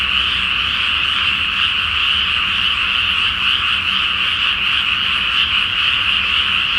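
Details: Frogs chorusing loudly at night in a flooded rice field in Japan ahead of rice planting, full moon overhead; steady, overlapping croaks with no silence between them.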